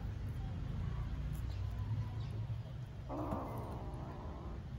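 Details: Hungry homeless stray kittens being fed in Istanbul; after low rumbling background, a drawn-out, slightly wavering meow rises near the end and holds for over a second, with a steady electrical hum throughout.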